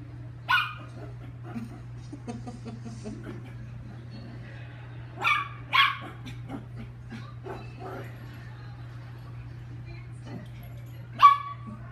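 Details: During playtime the chihuahua Lucky lets out scattered shrill single yaps, one early, a close pair mid-way and a last one near the end, separated by quiet stretches and faint rustling over a low hum.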